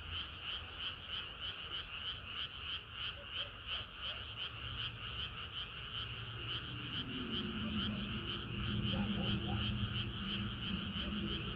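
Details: Frogs singing on a hot summer night, rapid rhythmic high croaks in a dense chorus, joined in the second half by a lower, louder droning, warbling call.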